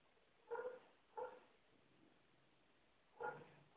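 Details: A Basset hound gives three short, gruff barks as he chases another dog off his couch, which he guards as his own domain.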